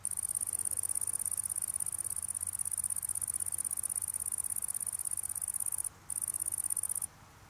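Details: Close-up Italian tree cricket while feeding: a steady, fast series of high, sharp pulses forming a shrill trill, broken once by a short gap and then ending abruptly, followed by quiet.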